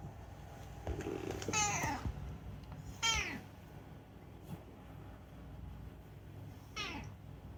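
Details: Rescued talking cat Unagi, indoors, produces three separate meows, each a short descending chirping cry, spaced about one and a half then nearly four seconds apart, with quiet room noise and faint clicks between.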